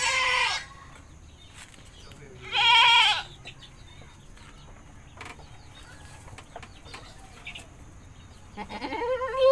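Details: Village goat bleating while being bathed: three loud, wavering nasal bleats, one at the start, one near three seconds and a rising one at the end, with quiet rustling and faint background sounds between.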